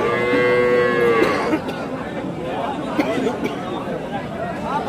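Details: Cattle at the Chowbaria cattle market, Manda upazila, Naogaon district, Bangladesh, recorded 21 September 2018, where dairy cows and calves are sold: a drawn-out, even moo lasting just over a second, followed by steady chatter and bargaining voices from the crowd.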